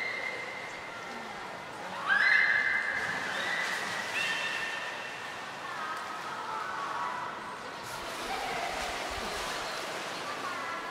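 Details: Captive belugas Gray, Nana and Mirai training at Port of Nagoya Public Aquarium, 10 February 2024: a sharp rising squeal bursts out, then trails into wavering whistles and softer chirps, while a crowd chatters nearby.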